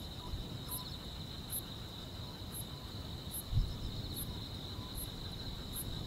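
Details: Grass insects on a summer night: a steady high trill hums throughout while a sharper, very high chirp pulses roughly once a second above it, over a soft low rumble of background noise.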